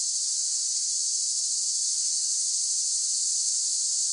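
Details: Cicada song: a dense, unbroken high-pitched buzz, held perfectly steady like a continuous hiss, with no other sounds.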